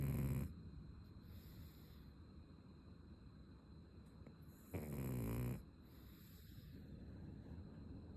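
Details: Ume, a pug, snores after a long break. Two brief, deep, grating snore bursts come about five seconds apart, with soft low background hum in between.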